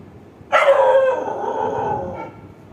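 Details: Street dog at night giving one drawn-out howling bark that starts abruptly, holds a wavering tone and slowly fades, with faint background noise.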